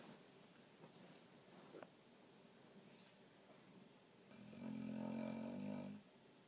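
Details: Sleeping dog Rocky lets out a loud, rumbling snore lasting nearly two seconds, a harmonic, nasal drone after a few soft breaths, in a quiet room.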